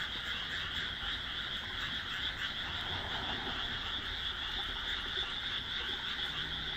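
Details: Frog chorus from a rice paddy among houses, planted on 1 June 2012, calling as darkness falls; dense, continuous overlapping croaks form a steady high buzzing wall of sound with no pauses.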